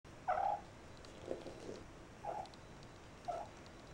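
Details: Shaded silver and shaded golden Persian kittens, about 12 weeks old, kept indoors or in a cat-safe enclosure; four soft, short mews spaced about a second apart over a quiet background hiss.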